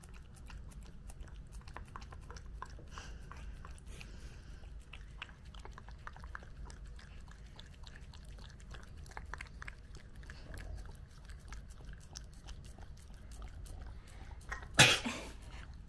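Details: Mame Shiba named Nezuko eating her first birthday cake indoors, her first time tasting cake; soft wet chewing and biting clicks scattered throughout, a loud sharp clatter near the end, low room hum beneath.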